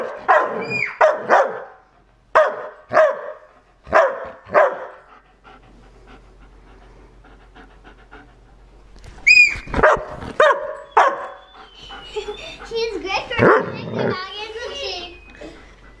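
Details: Trained, disciplined German Shepherd dogs: four sharp, loud barks about a second and a half apart, a quiet stretch with low hum, then another burst of barks and yelps, ending in a busy mix of whines and other noise.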